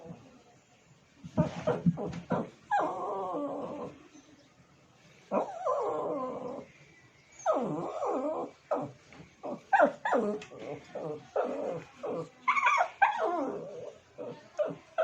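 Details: Pet dog vocalizing to call the attention of another dog indoors: a run of harmonic whines and yelps in bursts, some drawn out and others short and choppy, with brief pauses between.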